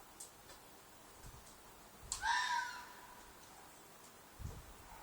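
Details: From a field behind an apartment, a fox lets out one rasping, strained shriek of nearly a second, with faint low thumps and rustles in the quiet background.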